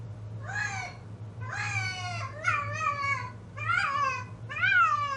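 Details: Female cat in heat yowling inside: five loud, insistent meows in quick succession, harmonically rich with bending, rising-falling pitch, some doubled, against a faint low hum.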